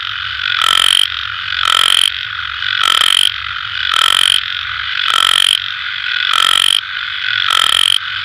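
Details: Night chorus of four frogs, harsh broadband croaks pulsing roughly every second in a steady rhythm over a constant buzzing, high-pitched drone from other callers.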